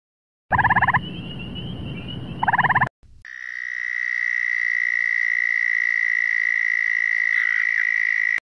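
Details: Frogs: two short bursts of rapid pulsed calls over low rumbling noise, then a long, unbroken high trill held for about five seconds.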